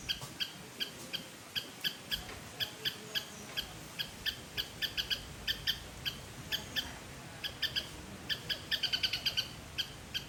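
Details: A squirrel in a Sri Lankan garden calls with bright, bird-like chips repeated about two or three times a second, quickening near the end into a brief excited trill over faint background hiss.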